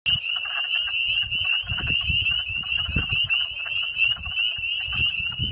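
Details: Spring peepers calling at a farm pond in Vernon, Vermont, on 11 April 2014: a dense chorus of high, piping peeps merging into a steady shrill band, with low rumbling noise underneath.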